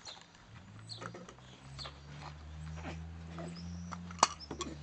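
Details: A male corgi, having just eaten, lets out a long, deep, rumbling burp with a steady low drone.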